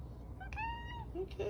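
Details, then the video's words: The OK Cat, a pet named Dakota, answers with a drawn-out, steady, tonal meow shaped like "okay", then a lower, shorter note. A person's affectionate talk is heard just before. "Talking Cat Says Ok"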